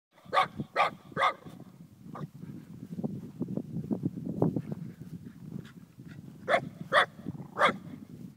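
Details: Sake, an 8-month-old Shiba Inu, barking on first meeting cows in the Pyrenees; three sharp barks open the clip and three more close it, with low rumbling and shuffling sounds between.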